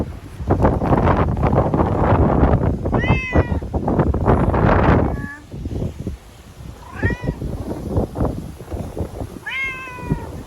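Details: Frightened TNR stray cat, a timid ear-tipped sakura cat, crying loudly while being caught and sheltered in a bathroom ahead of Typhoon No. 10 in Okinawa, September 2020; three drawn-out wailing meows over heavy thumping, rustling struggle noise.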